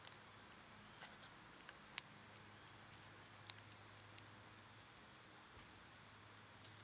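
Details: Summer cicada chorus as a constant high-pitched hiss, with brief bird chips every second or so and a faint low hum underneath.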